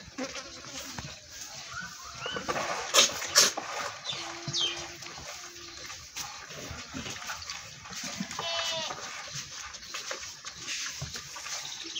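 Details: Goat at milking time, giving a short wavering bleat late in the recording over steady broadband hiss, sharp clicks and a brief low held tone midway.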